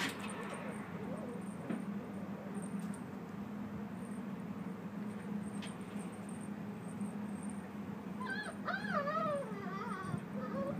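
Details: A white dog, a baekgu, that gave up trying to get a ball out whines near the end: a run of high, wavering, sliding whimpers after a quieter stretch with a faint early whine, over a steady low hum.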